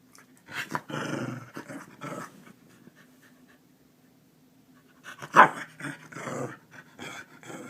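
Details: Keeshond rousing its owner in the morning, alarm-clock style, in a small room; throaty grumbles and breathy panting-growls in two bursts separated by a quiet stretch, with one sharp louder yelp-like note in the second burst.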